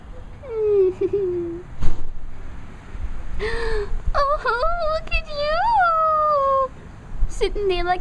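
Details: A pet cat gives several drawn-out, wavering meows, some rising and falling in pitch, the longest held for over two seconds, with a voice speaking Spanish nearby in an indoor room.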